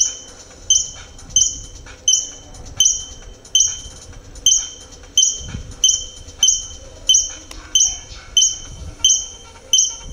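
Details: A squirrel (ardilla lobo) in Metepec, Atlixco gives a run of sharp, squeaky chips, each dropping slightly at the end, repeated steadily about every three-quarters of a second over a faint rumble.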